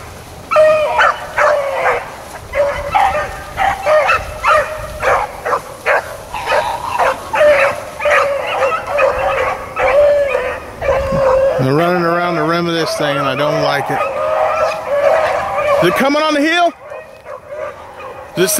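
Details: Blackcreek and Bluetick hounds trailing rabbits on April 4, 2013: a busy chorus of overlapping bays and chops fills the first two-thirds, then a lower, drawn-out wavering tone takes over before near silence.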